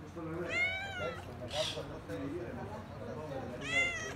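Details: Cats near the sea at Kaloi Limenes, Heraklion, Crete: two clear, tonal meows that rise and then fall, separated by a brief hiss, with a person speaking quietly in the background.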